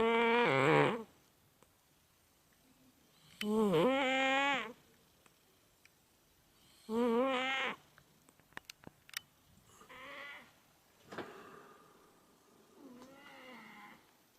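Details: Scottish Fold cat named Chai, recorded 10 May 2014, asleep in a cat corner of a room, snoring loudly like a human: harmonic, buzzy snores about every three seconds, the first three strong, the later ones softer, with small clicks between.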